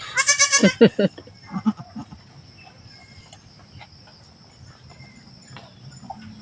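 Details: Home-raised goat around the birth of a female kid; a short burst of rapid, harmonic, wavering bleats in the first second, then quieter scattered sounds and soft murmuring.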